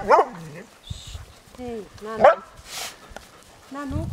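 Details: Huskies pulling a dog sled on a 30 km day tour at Riisitunturi on the Arctic Circle in Finland, March 2013. Four bursts of short, bending whines and yelps, some rising then falling, with human voices talking in between.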